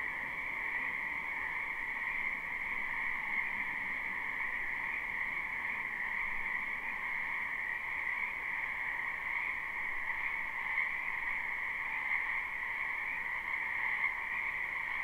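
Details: Large group of frogs calling in a wetland during spring, recorded live with no looping; overlapping croaks merge into a constant, shimmering two-tone drone that never pauses.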